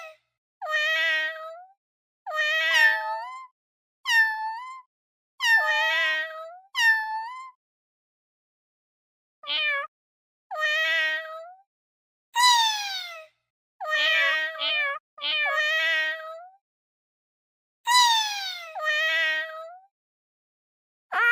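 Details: Domestic cat meowing about eleven times. The clear, tonal meows vary in shape: some rise and then fall, some swoop downward, and a few are short and clipped. Each is separated by a brief silence.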